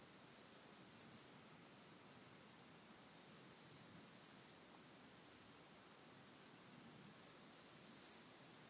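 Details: Black-spotted toothed grasshopper song recorded at Kyffhäuser, Germany, on 19 July 2018, possibly via ultrasound detector: three high hissing phrases, each swelling in loudness for about a second then stopping abruptly, repeated roughly every three and a half seconds.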